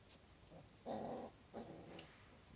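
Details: Cardigan Welsh Corgi puppies in a garden, filmed 16 October 2020 as they grow more active: two short, soft tonal whines, the second brief and fainter, over quiet background.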